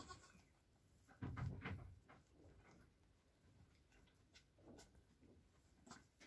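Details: Nigerian Dwarf goat mother with her two newborn kids, hours old: a deep murmuring low call lasting under a second early on, then quieter soft calls and scattered clicks against a hushed background.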